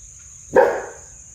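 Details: Pet German Shepherd giving an alert bark at home after hearing a noise: one deep, abrupt woof that fades quickly, with a steady high electronic whine throughout.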